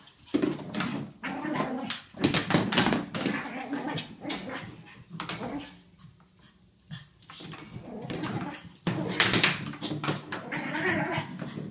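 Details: Ollie, a pug, attacking his toy excitedly: bursts of gravelly growls and yips come in quick runs, separated by short pauses, among snapping clicks and rustling from the toy.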